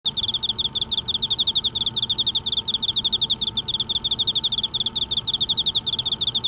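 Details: An Emma field cricket, a sound often heard in autumn, chirps steadily, giving clear, bell-like pulsed chirps in quick succession.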